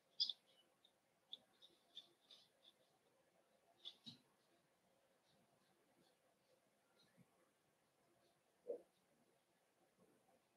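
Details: Cavalier King Charles Spaniel puppies in an indoor puppy pen, being socialized with several bigger adult dogs: thin, high squeaks come in quick bursts, with a short lower whine partway through and another near the end.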